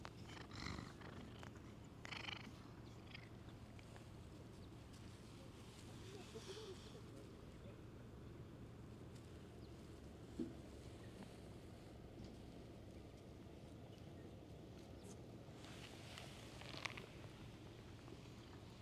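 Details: Stray cat in a park that came over to be petted, giving a steady low rumbling purr throughout, with a few brief rustling, handling noises at intervals.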